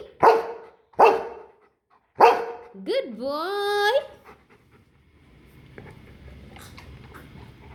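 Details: Golden retriever learning numbers: three sharp, loud barks about a second apart, then a drawn-out rising whine-yelp, followed by near quiet with faint background noise.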